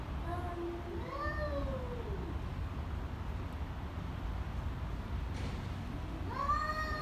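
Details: Angry cats trading short, rising-and-falling yowls over steady background rumble; one brief wail opens, a quieter gap follows, and another rising cry ends the stretch.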